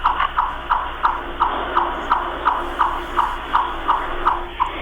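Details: A chipmunk gives a steady run of sharp, bird-like chips, about three per second, over a low background hum. The "chip chip chip" call is often mistaken for a bird or a turkey.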